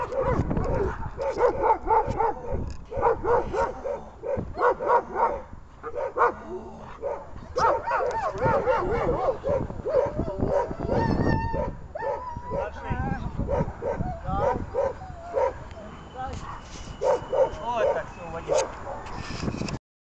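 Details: German Shepherd in protection training for grip placement, recorded 19 December 2018: rapid, continuous volleys of deep harsh barks over twenty seconds, with shouted human commands and thin whistling tones mixed in.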